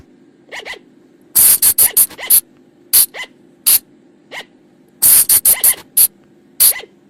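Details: Forest recording of flying lemur calls, played at night as a lure: clusters of loud, piercing, hissy shrieks alternate with faint rising-falling squeaks, the bursts returning every second or so against a quiet humming background.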